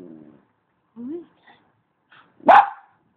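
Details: Romeo, a pet puppy fond of communicating, starts with a low grumble and a short rising whine, adds faint soft noises, then lets out a single loud, abrupt bark.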